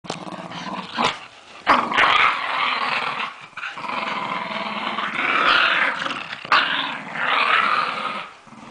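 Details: Lakeland Terriers in New Zealand growling during a tug of war game, a continuous rough rasping growl rising and falling in bursts, with brief sharp thumps and scuffling between surges, indoors.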